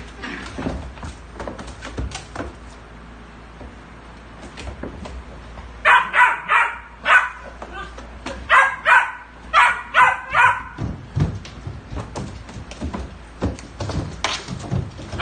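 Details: A puppy meeting another dog gives a run of short, sharp yips and barks in the middle, roughly two or three per second, with softer scuffling and quiet sounds before and after.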